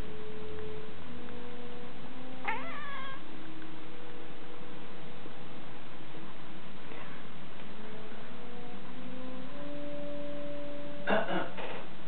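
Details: Domestic cat complaining while trying to catch light reflections from a rotating tealight holder on its second day of attempts; two rising, harmonic meows, one early and one near the end, over steady tinkling tonal music.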